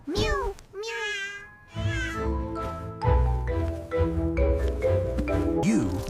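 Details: A Turkish Angora cat gives two quick, rising-then-falling meows, followed by a steady musical backing with a voice over it.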